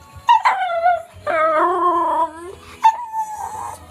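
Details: Miniature Schnauzer kept as a pet, whining because it wants to go for a walk; tonal whimpers that slide downward, one long wavering whine in the middle, then a short high yip and a fading whine.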